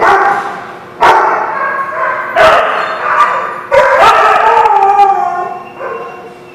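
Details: Several dogs recorded 5/4/19 barking in sharp bursts while drawn-out, wavering howl-like cries rise and fall beneath the barks, fading at the end.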